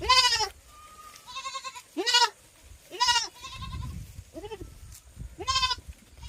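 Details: Farm goats calling in a series of loud, quavering bleats roughly every second, each rising then falling, with brief pauses between and a low rumble underneath.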